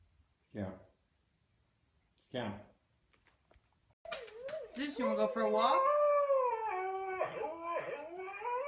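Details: Siberian Husky 'talking': two short isolated yelps, then a sustained stretch of overlapping, warbling howls that waver and bend in pitch until the end.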